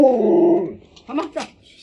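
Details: Pet Alaskan Malamute named Lolo, indoors in a small room, gives a drawn-out howling whine with a slowly falling pitch that lasts under a second, followed by brief human speech.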